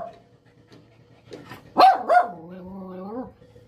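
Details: Small female dog in aggression training: scattered soft noises, then two quick strong barks followed by a drawn-out, low, slightly wavering whine-growl lasting about a second before fading.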